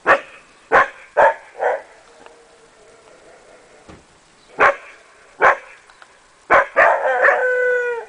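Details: Akita Inu puppies giving sharp, high yapping barks in uneven bursts, several close together, then a drawn-out whining howl with a falling, wavering tone at the end. The background is otherwise quiet.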